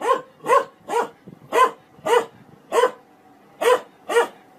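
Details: Dog barking steadily indoors, eight sharp, harmonic barks spaced roughly half a second apart with brief pauses, each bark clean and mid-pitched with no other sounds competing.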